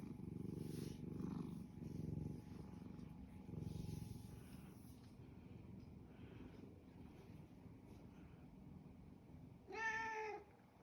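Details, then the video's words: Domestic cat content with its owner, purring in low pulsing bursts during the first five seconds, fading to a quieter rumble, then a short rising meow near the end. "골골골~아빠가 좋아 골골골"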